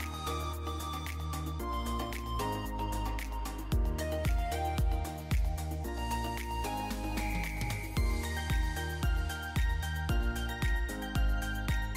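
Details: Steady instrumental music with a regular beat and layered melodic tones, and no animal sounds.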